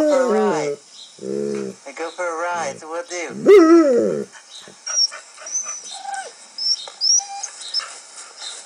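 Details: A 1-year-old male Alaskan Malamute howls at dogs on a show playing on a screen, in a very loud run of wavering, sliding woo-like notes, then fainter background sounds follow.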